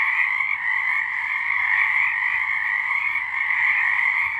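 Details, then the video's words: Frogs singing in the dark in March 2023, an unbroken wall of high trilled calls from many animals, even and steady in loudness. "Frogs singing"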